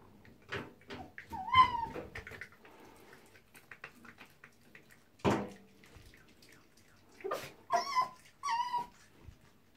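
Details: Indoors in a bathroom, Tiki the female fox guards a soap she has found and eats. Sparse soft clicks and rustles surround a few brief whining cries, with a closing cluster of three short harmonic yelps.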